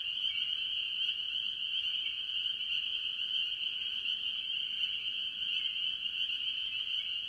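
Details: Early-year chorus at a farm pond, mostly spring peepers among various tree frogs: continuous high piping peeps overlap into a constant shrill wall of sound with no pauses.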